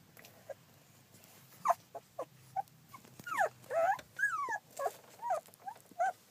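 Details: Whining Collie pups, fourteen days old, filmed 9 July 2012: a busy run of high, squealing whimpers, some sliding downward, others arching, coming faster and overlapping toward the middle, over quiet background shuffling.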